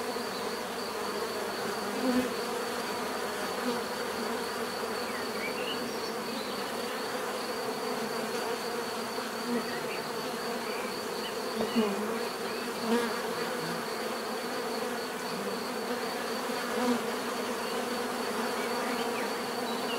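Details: Continuous natural buzzing of many bees, a thick steady drone with occasional slightly louder individuals drifting by and a faint high whine layered on top.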